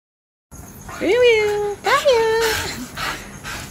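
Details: A happy Siberian Husky, apparently greeting someone who came home late, gives two drawn-out, yodelling calls that swoop up and then hold steady.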